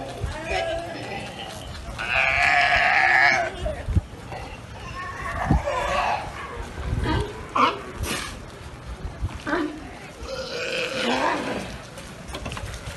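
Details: Galapagos sea lions on a commandeered barge, in what is described as a burping contest. Several loud, bleat-like, harmonic belching calls, each lasting about a second, with scattered lower grunts between them.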